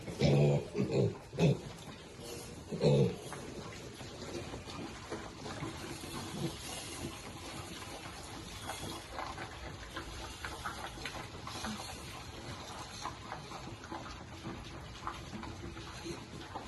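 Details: Piglets eating and sounding happy: a quick run of low, throaty grunts in the opening three seconds, then a steady soft background of munching and rustling noise with no further clear calls.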